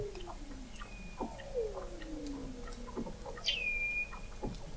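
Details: Under thick sea ice in McMurdo Sound, Antarctica, Weddell seals call in November 2017, picked up by an observatory 21 m below the ice: slow downward-gliding whistles, a sharp high chirp flattening into a sustained tone, and scattered clicks.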